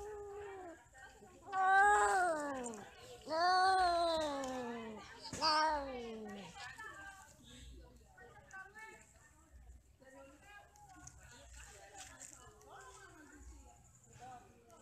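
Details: Mating and quarrelling among eight domestic cats: three loud, drawn-out yowls swoop downward within a few seconds, then softer murmuring and faint scuffling sounds follow in a quiet indoor setting.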